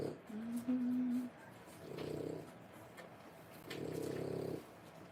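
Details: A brief steady whine, then two rough snore-like breaths from a French Bulldog mother nursing 3-week-old puppies in a small room.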